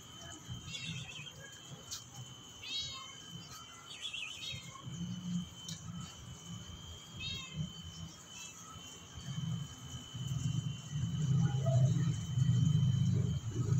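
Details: Persian cats giving short, rising-falling meows in a few separate bursts, with quieter mews between, over a steady low rumble and a faint constant high tone.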